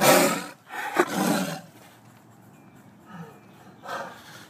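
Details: A tiger charging at the cameraman gives two harsh, broadband roars in quick succession, then a softer one after a pause, a threat display.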